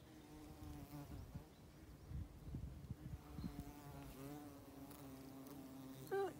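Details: A colony of tawny mining bees nesting in the soil at the base of an upturned oak blown down in a storm, on a farm in County Kilkenny, Ireland. A steady low drone with wavering higher buzzes, then a short sharp sound at the end.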